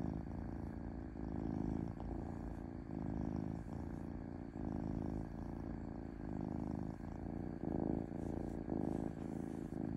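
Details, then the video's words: Domestic cat purring smoothly, a low continuous rumble pulsing in alternating phases well under a second apart, steady and even throughout, with no other sounds. "5H of Cat Purring Smoothly"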